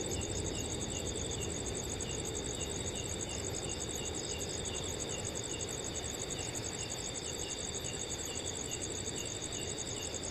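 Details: Cool summer night in a forest: an unbroken chorus of crickets with fast, regular high pulses, accompanied by a steady, soft murmur of wind in the trees.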